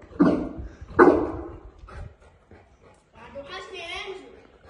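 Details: One of the Boerboels Enzo and Diva, a South African Mastiff couple in Egypt. Two loud, deep barks sound about a second apart, followed by quieter rustling and a person talking.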